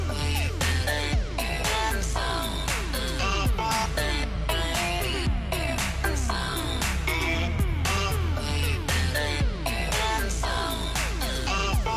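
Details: Loud electronic dance music with a heavy bass beat and sweeping synth lines plays throughout, and no animal sounds are heard.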